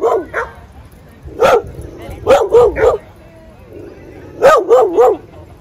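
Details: In a Brooklyn dog park a playing dog barks in quick groups of three, each bark short with a rising-falling tone, separated by about a second of quiet murmur.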